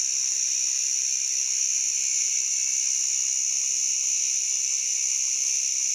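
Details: White drummer cicada (Arunta perulata) calling song: a loud, unbroken, high-pitched buzzing drone.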